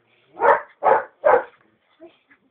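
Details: Belgian Malinois during bite training with a bite tug, worked by a trainer: three loud, harsh barks in quick succession about half a second apart, followed by a couple of faint short sounds.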